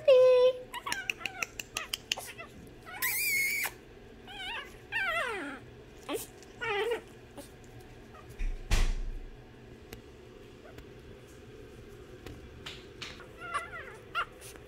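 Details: Several Imperial Shih Tzu puppies penned behind bars give repeated wavy whines and drawn-out squeals that slide downward, busiest in the first seven seconds, with a dull thump midway and a girl talking.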